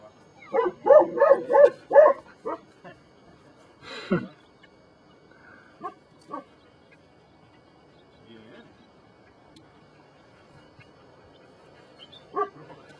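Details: Belgian Malinois named Brujo from the des Champs kennel in Mexico, working in personal protection training: a quick burst of about six harsh barks in the first two seconds, then a few scattered single barks separated by quiet stretches.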